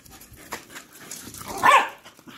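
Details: Patterdale Terriers running wild and chasing; one sharp bark rises out of panting and scuffling, with a Dutch-speaking voice in the background.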